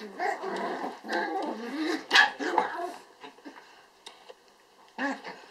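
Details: Eight-week-old apricot dwarf poodle puppies from a Finnish kennel, born 30.10.2014, playing with their mother indoors: bursts of low growls and squeaky yips, a loud yelp near the middle, a quiet lull, then a final growl, with human voices behind.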